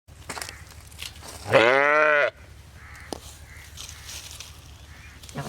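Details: Sheep giving one loud, wavering bleat lasting under a second, set against a low steady rumble and scattered soft background noises.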